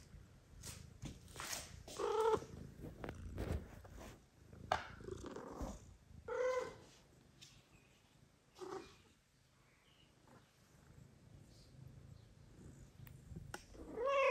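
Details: Mother cat, recently given birth, meowing loudly indoors to ask for petting while her newborn kittens sleep; several short harmonic meows spaced a few seconds apart, with rustling and soft handling noise between calls.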